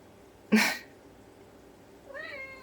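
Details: Indoors in the morning, a Ragdoll cat keeps meowing to have a storeroom door opened. A sudden loud thump comes first, then, after a pause, a short, moderate meow with a rising start.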